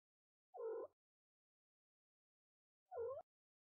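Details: Mother cat talking to her newborn kitten on its first day: two short, low, slightly rising meows about two seconds apart, with silence in between.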